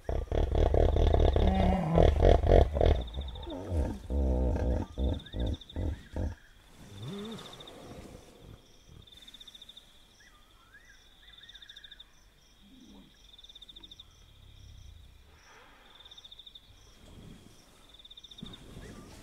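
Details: A wild hippopotamus by a river at night in Kafue National Park, Zambia, gives a loud burst of deep, rapid grunting honks, then night insects trill steadily.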